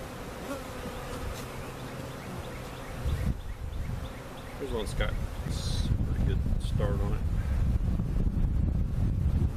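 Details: Honey bees from a large hive cutout, relocated with their comb at Jerome Bee Farm, Central Oklahoma. A quieter hum grows into a heavy, low buzzing mass of bees, with brief human voices around the middle.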